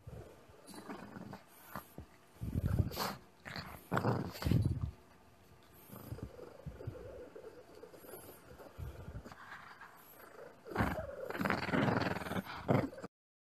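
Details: Shih Tzu, a small pet dog, giving rough, low growling bursts in uneven clusters, loud around the third to fifth seconds and again near the end, with quieter rustling between them.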